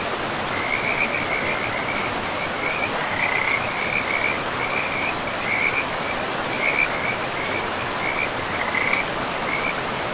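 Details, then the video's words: By a river deep in a pristine forest with mossy ground, frogs keep up a chain of brief, high trilled calls, spaced in clusters roughly every half second to second, against an unbroken wash of river noise. "River and Frogs sleep sounds"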